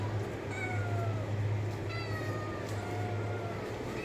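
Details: Cat uttering long, gently descending meows, two or three drawn-out cries in a row, over a loud constant low hum.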